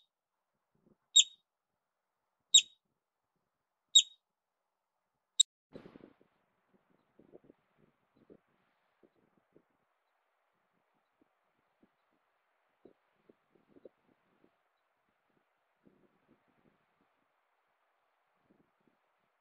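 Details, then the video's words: Yellow-bellied marmot standing on alert near alpine Williams Lake in the Sangre de Cristo range of the Rocky Mountains, giving four sharp, high piercing whistles about every 1.4 seconds, then only soft rustling and faint ticks. "Yellow-bellied Marmots - Whistle Call, Stand on Alert"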